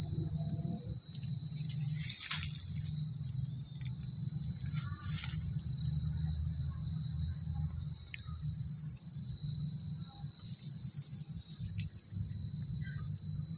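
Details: Secluded countryside at night with crickets droning a continuous high trill pulsed in regular beats, a steady low hum underneath and a few faint short clicks.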